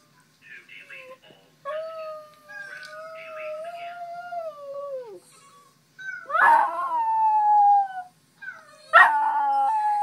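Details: Teddy, a West Highland White Terrier, howls on waking in the morning, answering one of his old videos: long tonal howls held then sliding downward, with a sharp yelping onset near six seconds and another near nine.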